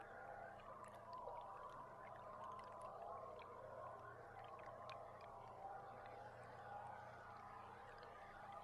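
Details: Underwater boat-camera recording of belugas from July 16: brief high whistles rise and fall among sharp scattered clicks, set against constant water noise and a low droning hum.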